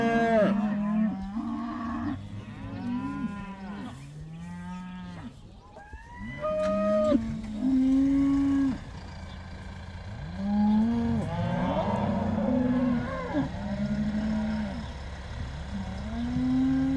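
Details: Cows allowed outside for the first time, herd of about 80: many cows mooing in rapid succession, low drawn-out harmonic lows overlapping, some arching up and down, others held steady, forming a continuous chorus.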